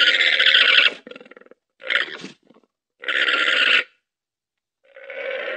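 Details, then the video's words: Domesticated llama voicing harsh, buzzy, grating bleats in uneven bursts, one long blast followed by a stuttering rattle, another long bleat and a rougher trailing cry, with quiet gaps between. "Odgłosy lamy - dźwięk lamy - jak robi lama?"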